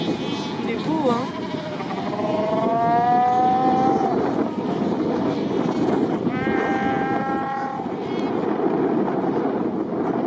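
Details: Cape fur seals at Cape Cross on the Skeleton Coast, a crowded colony of over 100,000 among ocean and rocks; drawn-out, overlapping bleating calls rise and fall against a constant roar of surf.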